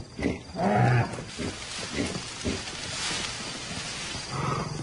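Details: A young African lion of a pride, described as barely more than cubs out playing: a short low rasping growl near the start, then quieter rumbles and a faint growl at the close.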